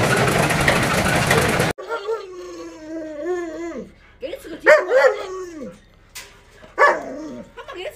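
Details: Luoluo, a pet Alaskan Malamute, acts cute and hugs a leg while begging for a piece of watermelon, producing drawn-out wavering whines and short yodelling moans after a burst of loud noise at the start.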